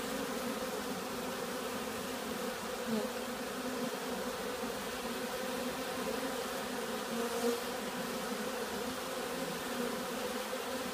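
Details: Agitated bees, robbing or excited by something else, fill the air with a louder, dense buzzing drone; small swells in volume appear around three and seven and a half seconds.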